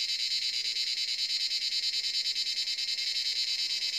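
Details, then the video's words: At dusk around seven in the evening, cicadas in the forest produce an intense, high, rasping drone throbbing in rapid regular beats, roughly three per second, with nothing else clearly heard. "Cicada sound in forest"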